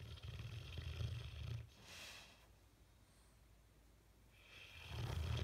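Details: Bullmastiff snoring in its sleep, face twitching; a rough, low rumbling snore of about a second and a half, a breathy exhale, a quiet pause, then the next deep snore starts.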